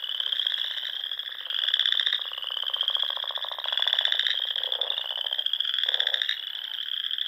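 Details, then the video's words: Frogs in song at dusk in the Sandhills of Nebraska in spring, a thick high-pitched trilling chorus rising in repeated pulsed bursts every couple of seconds, short deeper croaks mixed in. "RELAXING SOUNDS OF FROGS"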